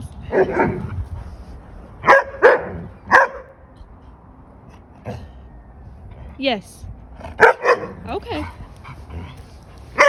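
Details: Pack of German Shepherd puppies playing indoors, Dodger and Arial especially vocal: sharp yips and short barks in scattered bursts, one drawn-out falling whine, with people talking throughout.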